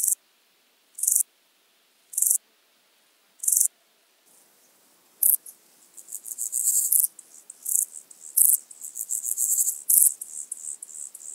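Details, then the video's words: Common straw grasshopper (Euchorthippus declivus) singing at Illmitz, Austria, on 13 July 2020: four short, high, hissing chirps about every 1.1 seconds, a pause, then a denser run of faster, rasping bursts. "Euchorthippus declivus -- Gewöhnlicher Dickkopf-Grashüpfer -- Common Straw Grasshopper"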